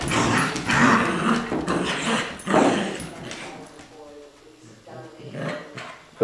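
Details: Tug of war between Colby, a two-year-old adopted Lab mutt, and Jack, a six-week-old Golden Retriever puppy; bursts of gruff growling and scuffle noise, a human voice, then quieter thin whines near the end.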